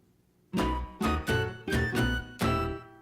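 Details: Acoustic guitar strummed in five bright bursts over about two and a half seconds, with no animal voice heard.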